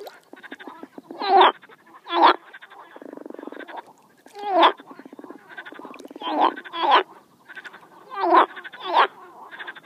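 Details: A frog gives loud, gravelly croaks, often in pairs, separated by quieter buzzing rattles and soft ticking pulses.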